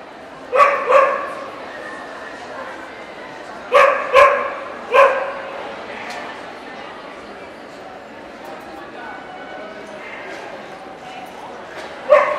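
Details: Welsh Corgi, Cardigan or Pembroke, at NVP Ostrava on 14 April 2012, barking in bursts: a pair of barks, a pause of nearly three seconds, then three quick barks, a long lull and one more at the end, with crowd voices throughout.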